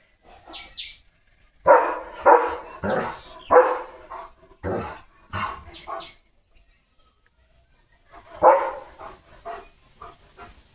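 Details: Playful German Shepherd Leo, mug in mouth, lets out clusters of sharp barks in two bursts separated by a quiet pause, over a faint background.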